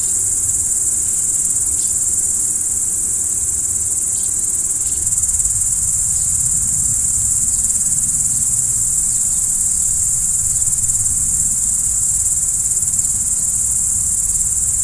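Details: At night, crickets keep up a constant high-pitched shrill trill throughout, finely pulsed and even, with scattered faint ticks and a low murmuring background.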